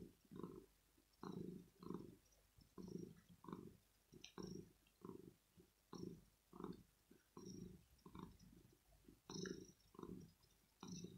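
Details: Kitten, male, purring in the early morning after waking someone because he wants cuddles, petting and maybe food; low rumbling purr pulsing in steady bursts about once every one and a half seconds, following his breathing, in a quiet room.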